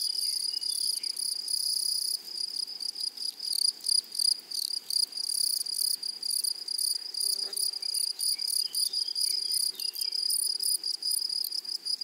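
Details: Meadow grasshoppers stridulate in a thin, piercing trill that breaks into short bursts and stops, while a few faint chirps from other small creatures flicker in the background.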